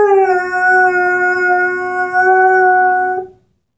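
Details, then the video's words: Airedale Terrier aged ten months, singing with a squeaky ball toy: one steady, sustained howl of about three seconds, even in pitch and strongly harmonic, ending abruptly. "the singing Airedale"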